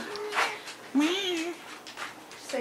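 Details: Domestic cat meowing indoors: a clear drawn-out meow near one second that rises then falls over half a second, with a shorter cry just before it, while a person talks over and between the calls.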